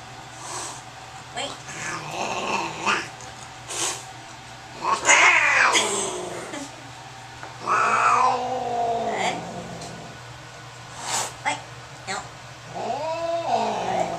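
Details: Angry cat at a vet visit, around the time it urinates on the examination table, giving loud drawn-out yowls and caterwauls that rise and fall, repeated every few seconds, with staff talking and handling noises between calls indoors.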